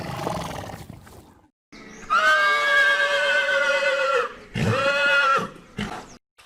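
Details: Horse neighing: a faint, broken opening, then a long, loud, rich whinny held steady for about two seconds and falling at the end. After a short gap comes a second, briefer neigh, then a soft snort.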